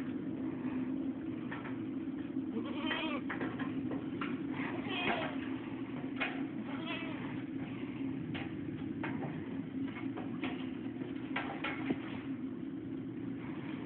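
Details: Several goats bleating: frequent short, tremulous cries, some overlapping, over a constant low mechanical-sounding drone.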